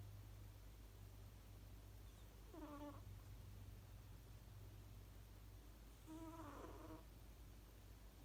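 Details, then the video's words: Ku the cat asleep and snoring: two brief, thin, whistle-like squeaks with stacked overtones, about three and a half seconds apart and timed like breaths, above faint background hiss and a low hum. "いびきかいて寝ているねこ snoring"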